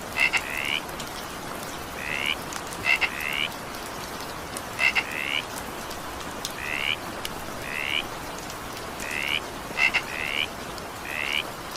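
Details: Frog in evening rain giving rising, buzzy notes spaced one to two seconds apart, some paired with quick sharp clicks, while steady rainfall hisses in the background.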